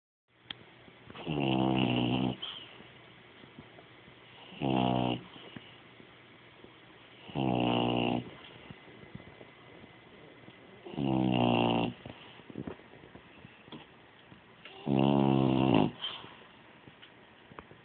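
A French Bulldog snores loudly in slow, rattling breaths, each lasting about a second.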